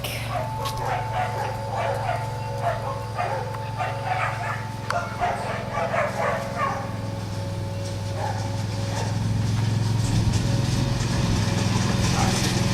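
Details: Liz, a dog, barking while herding a lawn mower: quick bursts of short, sharp barks, roughly two per second, through the first five seconds over a steady low engine drone that swells louder near the end.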